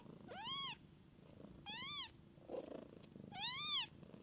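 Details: Mother cat caring for her kittens: three high, arching kitten mews, each about half a second long and evenly spaced, rise over a steady, low, pulsing purr that continues underneath.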